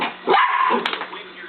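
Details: Pet dog Scarlet gives one loud, harsh bark with a drawn-out tonal tail while chasing a laser pen's light, followed by quieter voice sounds and a constant background hum.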